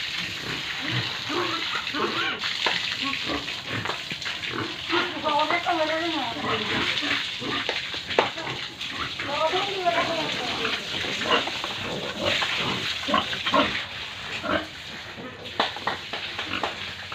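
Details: Pigs and piglets at a pig farm in Tripura give a run of wavering, harmonic squeals and grunts through the middle of the recording, set against steady broadband hiss and background commotion.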